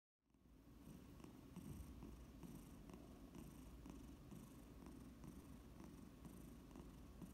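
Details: Domestic Shorthair cat in foster care awaiting adoption, purring indoors close up: a steady low rumbling purr starting after a brief silence, with faint rhythmic pulses from each breath.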